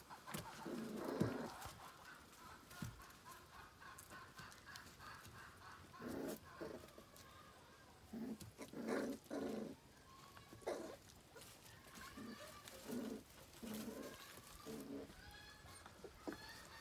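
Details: Australian Cattle Dog puppies, five weeks old, at a farm kennel in October 2019: short bursts of low, rough barks and yaps come in clusters separated by quiet gaps, with handling noises and clatter around them.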